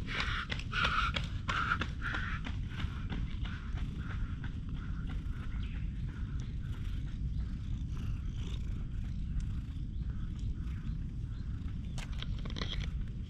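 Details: Stray cat rubbing against a person's legs outdoors, giving a low steady rumbling purr that runs through the whole stretch, partly buried in outdoor ground noise, with a few brief higher tonal sounds early on and scattered clicks and footsteps.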